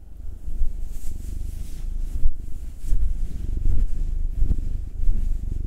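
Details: Low pulsing purr from a pet cat being massaged, from a pair of household cats: a black male aged nine and a tortoiseshell Munchkin female aged two. Uneven, swelling rumble with soft rustling and breathy noise over it.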